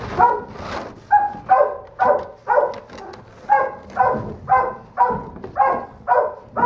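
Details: Holdback Doberman Pinscher puppy, the litter's smallest female, barks insistently: clear, bright yaps roughly every half second, each a short harmonic burst, with a quiet background between them.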